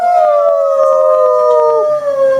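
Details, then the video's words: Pet dog howling: one long, steady, slightly falling tonal howl with rich harmonics, held for about two seconds before fading. "the dog howling"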